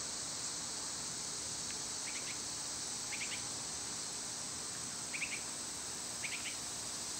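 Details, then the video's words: Summer cicada chorus as a constant shrill hiss, with short clusters of bright bird chirps breaking through every second or two. "Cicada sounds"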